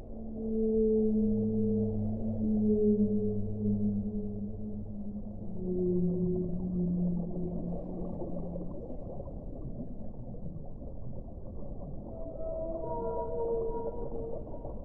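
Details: Whale singing underwater: sustained low moans with stacked harmonics, some sliding slightly downward, then after a pause a run of higher, shorter wavering tones and upsweeps, all over steady low ocean rumble.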